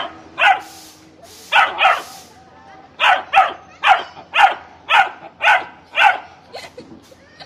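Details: Saint Bernard puppy guarding his jeep, yapping in high, sharp barks, often in pairs, about two a second at the busiest stretch, with brief pauses between bursts.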